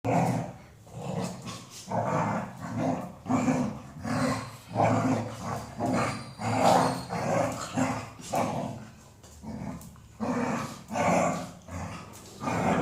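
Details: Female Golden Retriever making sounds: a steady run of throaty, rumbling grumbles, each lasting under a second, coming roughly every second with brief pauses between.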